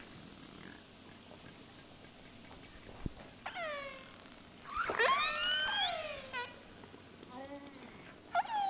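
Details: Northeast Atlantic killer whale recording: a couple of sharp echolocation clicks, then several harmonic, sweeping pulsed calls, and at the end two high whistles; these call repertoires vary between populations.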